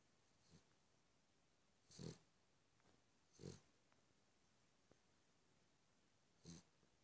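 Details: Cavalier King Charles Spaniel snoring softly. Four short, breathy snorts come at irregular intervals over a quiet background.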